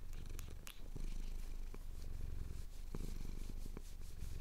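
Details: Steady throaty purring of a contented male cat as his chin is scratched, Cotswold hills at sunrise, Tascam DR-07X recorder; a close, pulsing low hum with occasional ticks and soft scratching sounds.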